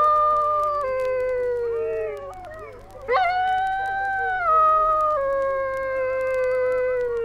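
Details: Dingoes in Australia, from a 1968 wildlife record: overlapping long howls slide slowly downward, break off briefly, then rise sharply and continue as a wavering, drawn-out tone.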